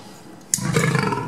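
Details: A male lion at a zoo, originally from Asahiyama Zoo in Hokkaido, bursts into a deep, rough angry roar after a brief quiet at a staff member he dislikes, linked to injections as a cub, while being teased with food.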